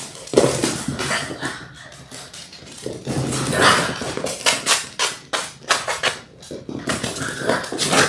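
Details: Six-week-old Labrador Retriever puppies, a litter of six, indoors on a live puppy cam: a busy run of short, scrappy yips and small barks, some in quick bursts, over rustling and bumping as the pups play.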